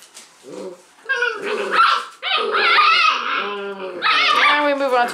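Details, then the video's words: Six-week-old Leonberger puppies in a noisy litter of thirteen, some tugging a toy: overlapping squealing yips and whining cries, continuous and shrill, with a few low growl-like tones. "6 week old leos have big tug a war"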